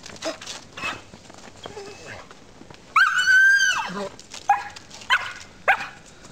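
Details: Rosie, a dog climbing the tree in her yard, utters one long high whine lasting about a second, followed by three short sharp yips, over soft background talk.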